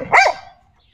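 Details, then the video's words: Pet dog Xiao Mi, described as happy with today's weather, lets out a single sharp, loud bark that rises and falls quickly, then fades into near silence. "Xiao Happy With Today Weather, I love Dogs"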